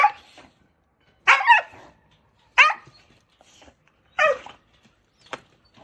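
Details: Shelter Jindo with a history of biting the director who fed it for three years, barking at Narae-ul Center, Ulsan: four rough barks at irregular intervals of roughly one to one and a half seconds, plus a faint fifth.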